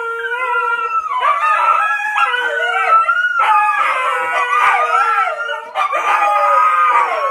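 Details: Huskies singing along with a 93-year-old grandma: several overlapping, wavering howls that rise and fall in long sustained phrases, with brief pauses between bursts, the voices layered into a harmonious chorus.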